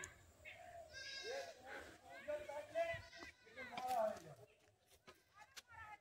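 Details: Black goat on a village farm at midday, frightened and running off as a herd of wild boars comes close. Wavering, nasal bleats rise and fall in short bursts, mixed with excited human voices and some rustling.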